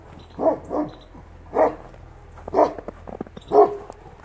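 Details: Central Asian Shepherd Dog, or Alabai, barking: five deep, hoarse barks spaced about one second apart, each a short rough burst, over a low steady hum.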